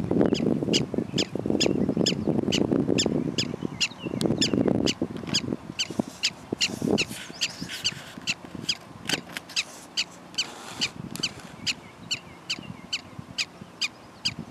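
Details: Prairie dogs bark in a steady run of short, sharp, high chirps, a little over two per second throughout, with heavy low rumbling and handling-like noise in the first seconds.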